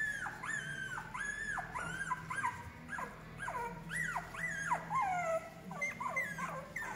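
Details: Female English Cocker Spaniel puppies at a Spanish breeder, due for delivery in August 2022, whimper and whine in a busy chorus of high, arching squeals, many overlapping, roughly two or three per second, over a low background hum.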